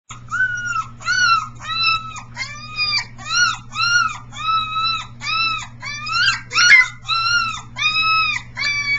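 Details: Three-week-old Briard puppies, one very vocal pup among them, recorded 15 July 2009 while practising howling: a steady run of short, arched, high-pitched yelps and whines with rich overtones, roughly two per second, over a constant low hum.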